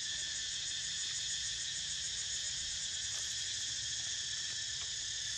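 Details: Cicadas droning around a dozing Niko: a constant piercing buzz in layered high pitches, faintly wavering in texture but steady in loudness throughout.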